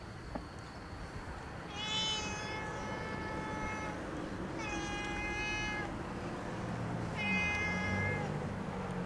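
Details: Family pet cat giving three long, drawn-out meows, each lasting about two seconds with a steady, slightly falling tone and rich harmonics, spaced roughly every three seconds over a low background hum.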